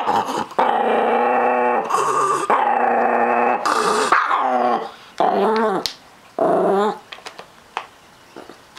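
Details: A Chihuahuapin (Chihuahua and Miniature Pinscher mix) possessive over treats, snarling in long continuous rumbles that break into shorter wavering growls, ending in quiet clicks.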